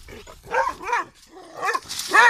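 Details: Leonberger dog guarding its home property, barking: four deep, harmonic barks in two pairs over about two seconds, each short and slightly rising then falling, with quieter breathy sounds in between.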